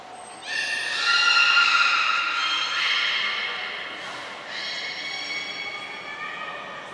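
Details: Captive belugas during a short training session at Port of Nagoya Public Aquarium, 25 July 2021; a thin high whistle note opens, then loud harmonic, nasal tonal calls hold and shift over several seconds, fading and returning.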